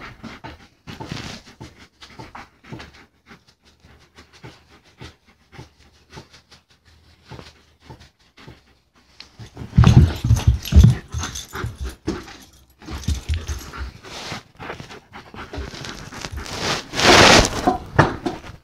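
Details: German Shepherd playing indoors, steady fast panting at roughly three to four breaths per second, growing louder and rougher in the second half with bursts of movement noise.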